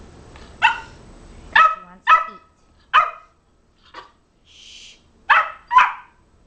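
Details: Ten-week-old female Boxer puppy doing tricks at home; a run of about seven short, high, yappy barks spaced irregularly over six seconds, each bright and harmonic, with quiet pauses between.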